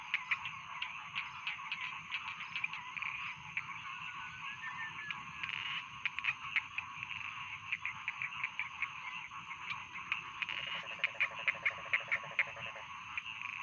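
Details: Rice field frogs in full chorus, a thick stream of rasping, clicking croaks; near the end a lower, evenly pulsed rattling trill joins for about two seconds, over a constant high whine.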